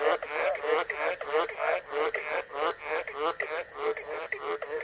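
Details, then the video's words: White's tree frog, also called Australian green tree frog, calling in the wild during the wet season in northern Queensland, tropical Australia: a steady series of deep, rasping croaks, about two per second, over a constant high hiss. "Green Tree Frog Sound & Calls. The sounds of a White's Tree Frog calling in the wild."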